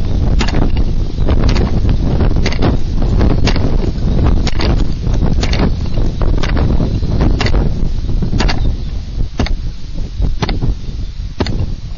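Heavy rain and wind rumble on the microphone, with scattered sharp taps and knocks and no animal calls.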